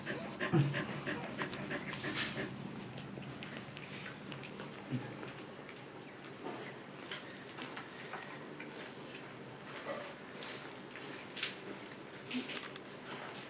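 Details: Siberian Husky named Luna in labor, giving birth to puppies for the second time and staying calm; breathy, broadband panting bursts come in irregular runs over a steady indoor background hiss.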